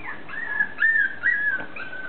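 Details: A dog during morning play, waiting for food, gives a high, thin whine in drawn-out wavering tones that slide and dip, broken by short pauses, over a low steady background hum.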